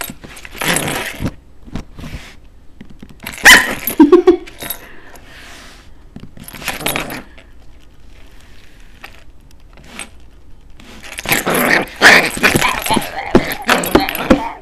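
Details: Pet puppy play fighting: short yelps and growly barks come in a few bursts, mixed with bright metallic jangling like tags or keys, with quiet gaps between scuffles.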